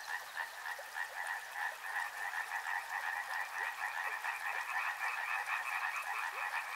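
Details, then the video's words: Riverside frog chorus: many frogs croak together in quick pulsed rattles, two bright overlapping bands of trilling that throb several times a second. A few short separate croaks stand out above steady water noise. "Frog Sounds | Soothing sounds of river and frogs"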